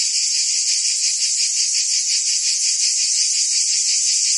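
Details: Summer cicada chorus in Provence, France, a constant shrill buzz with a quick throbbing pulse running through it, even and unbroken from start to finish.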